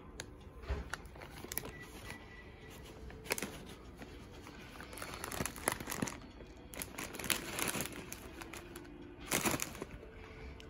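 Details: Indoors, crinkling and tearing of paper or plastic comes in sharp bursts over a quiet room background, with no animal call.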